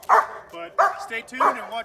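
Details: German Shepherd during dog training: three loud, sharp barks about every two-thirds of a second, with softer, lower tonal sounds between them.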